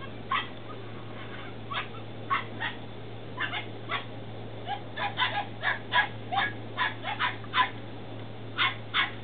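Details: Belgian Malinois Shepherd puppies, ten weeks old, in Williston, Florida, on 28 April 2015. Short high yelps and squeals come in quick irregular bursts throughout, over a steady low electrical hum.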